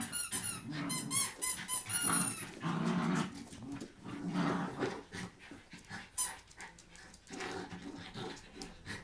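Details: Schipperke dogs Jesse James and Ebony Jade playing with new toys at their birthday party indoors, April 19, 2009. Shrill squeaky-toy squeals open, then low rumbling growls over several seconds, with another burst of squeaks near the end.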